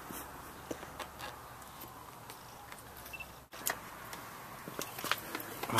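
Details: Clicks, light footsteps and handling noises over a low background hiss, with no animal voice.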